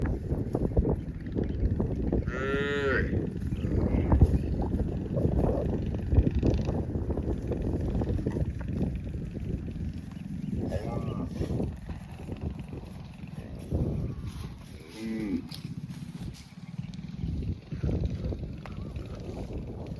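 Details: Cows mooing as cowherds lead them to the farm across vast green rice fields; three drawn-out, harmonic moos spaced several seconds apart, over a steady low rumble of movement and shuffling.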